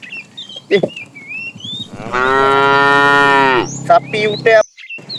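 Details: A herd of tame cows roams far looking for food; one cow gives a single drawn-out, steady moo of almost two seconds, while birds chirp and twitter before and after.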